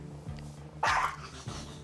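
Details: A five-year-old long-haired Chihuahua mix, who treats all strangers as enemies, gives sharp, bright barks, a wary warning at a visitor indoors, over soft background music.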